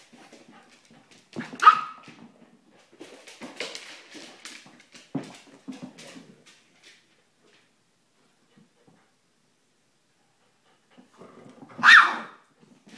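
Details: Terriers, an Airedale puppy with a Silky (Yorkshire) Terrier: a burst of growling and a high yelp-bark early on, scattered snarls, a long quiet stretch, then another loud sharp bark near the end.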